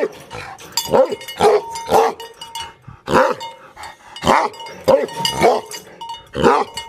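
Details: Aggressive Tibetan Mastiff dogs barking in anger: repeated harsh barks in uneven bursts, mixed with rustling, clinking noises and a faint steady ringing in the background.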